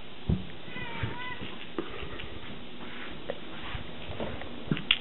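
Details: Savannah cat Scirocco, 20 weeks old, gives one short harmonic meow lasting about half a second with a gently falling tone, set among scattered soft knocks and thumps in a quiet indoor space.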